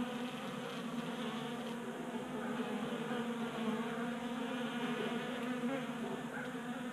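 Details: On a 60-degree January day in Colorado, honey bees crowd a 3D printed tabletop feeder in a garage. A constant, buzzy low drone of many wingbeats fills the recording, briefly louder midway.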